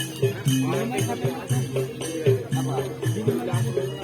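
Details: Rhythmic jingling bells and percussive music with some voices in the background, and no animal calls.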